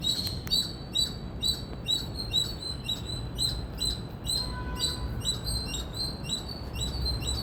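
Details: Indian squirrel chirping: a loud first burst of chips, then a regular series of short shrill notes at roughly two per second, a faint steady hum briefly in the middle, low rumble throughout.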